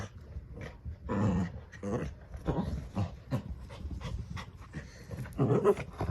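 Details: Two dogs playing tug-of-war over a new toy duck give off rough, broken growling bursts with scuffling noise, the sounds coming in short uneven pulses over six seconds.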